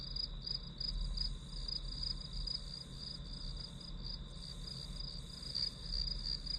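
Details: Softer, blurred chirping of grass insects runs almost without gaps above a steady high ringing tone, while a low hum stays prominent throughout.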